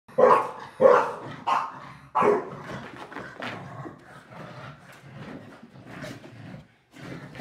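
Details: Two pet dogs, Yum Yum the Shar Pei and Bunny the Boston Terrier, in their nightly after-dinner rough play. Four sharp, loud barks come in the first two seconds, then softer scuffling and low grumbles follow.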